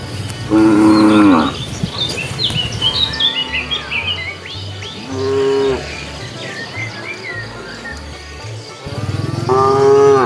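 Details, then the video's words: Cows roaming a road looking for food moo three times, a strong opening call, a softer one midway and a loud final one, with lively bird twitters and a faint low drone between. "Funny cow sounds"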